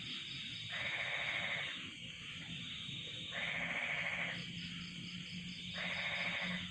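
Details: Crickets and frogs on a cold night. Rough pulsing bursts, each about a second long, recur roughly every two and a half seconds over a steady high-pitched ringing trill.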